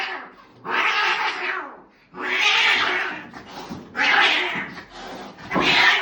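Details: Female cat at the vet, seemingly snoring: harsh, breathy, noisy bursts roughly every one and a half to two seconds, each lasting about a second, separated by brief quieter gaps in a small indoor room.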